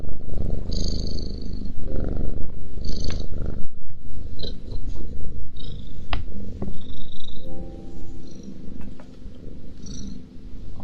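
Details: Cat eating while purring: a low rumbling purr dominates the first seconds, then gives way to soft chewing clicks and wet mouth sounds with faint tonal background hum.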